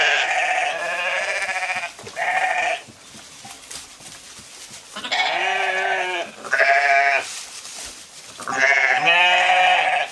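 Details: Grazing sheep in a field give repeated loud, nasal, wavering bleats, some long and trembling, others short, several overlapping animals calling with brief quieter gaps of rustling between.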